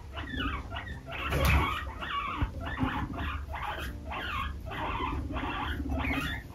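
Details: Baby guinea pig being driven out of a hammock indoors by another that defends it: a run of about ten short, harmonic squeaking bursts at a steady pace, over a low, steady musical hum.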